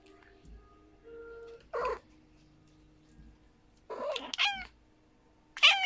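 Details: Rescue mother cat with her tiny kitten, mama snuggling her baby: three short, high, harmonic mews, the first wavering, the later two bending downward, spaced about two seconds apart over a quiet indoor background.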